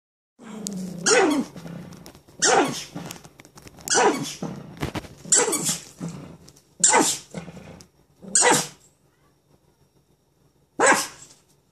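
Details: Pet dog holding a new toy in its mouth while trying to bark at another dog outside, indoors; muffled, growly barks in six bursts about every one and a half seconds, each with a broad noisy burst, then a pause before a final bark.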